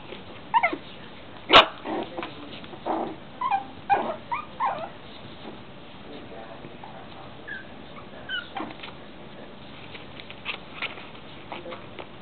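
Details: Six-week-old Yorkshire Terrier puppies tugging and chewing while teething, giving short, squeaky, high yips and whimpers scattered through the recording, with soft clicks and rustling in between.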